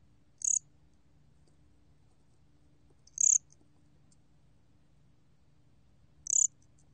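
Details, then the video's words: Gom cricket, a Korean cricket in a 2020 National Institute of Biological Resources recording, gives three brief, shrill, trilled chirps spaced roughly three seconds apart against near-silence and a soft low rumble. "곰귀뚜라미, 여러번 듣기, 곤충소리"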